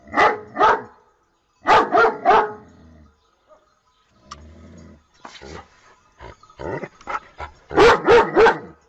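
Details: A pet dog barks in quick triplets: one bout at the start, another soon after, a scattered stretch of soft knocks and noises, then a final loud run of barks.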